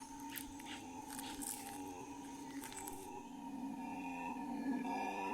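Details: Howler monkeys howling at morning in the Amazon rainforest of Bolivia: a steady droning chorus with two sustained tonal bands, richer layered overtones swelling in the second half, and faint high insect-like hiss early on.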